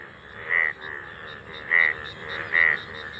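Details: A golden frog in a field in India, seen once a year, gives three loud, short, nasal croaks roughly a second apart, over a soft background chorus of fainter callers.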